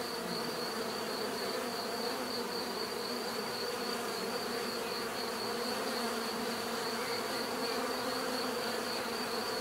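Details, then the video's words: Many bees buzzing together in a dense, unbroken drone with layered low hums, steady in loudness throughout, and a thin constant high tone running above it. "bees therapy relaxing natural buzzing sound"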